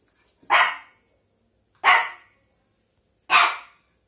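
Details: A Shih Tzu puppy barks at a pile of clothes, giving three sharp, high barks spaced about a second and a half apart.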